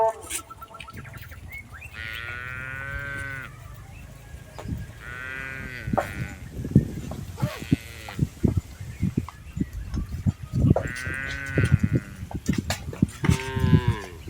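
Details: Tame cattle herded across a rice field in Indonesia give a series of about four medium-length moos, accompanied by steady low rumbling and scattered thumps of movement.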